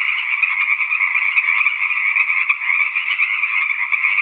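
A tree frog chorus, a steady dense trilling buzz that carries on without a break.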